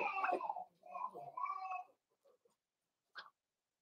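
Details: Four-week-old Cavalier King Charles Spaniel puppies in an indoor puppy pen, during socializing with other dogs and a puppy-mash feeding: a drawn-out, wavering whine lasting about two seconds, then a few faint soft squeaks and one short, sharp squeak.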